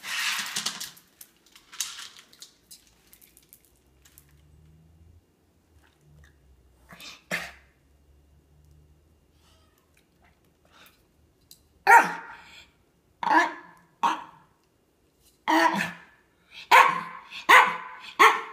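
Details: A Miniature Pinscher eats with sharp crunching and snuffling bursts in quick, irregular runs. Its routine is to stare at the food oddly, attack it, scatter it across the floor while making noises, then eat.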